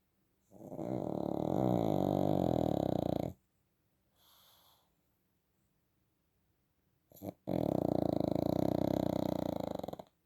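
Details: A sleeping pug snores loudly in long, rattling, throaty breaths with a quiet pause between them, snoring like this all night while its owner is away.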